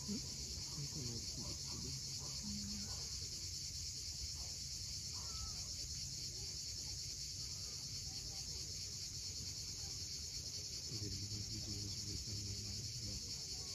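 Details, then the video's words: An evening cicada chorus at Cape Fiolent, Crimea, heard from a steep seaside cliff: an even, high-pitched continuous buzz, breaking waves murmuring low, and brief chirping birdsong near the start and end. "Cicadas at sunset."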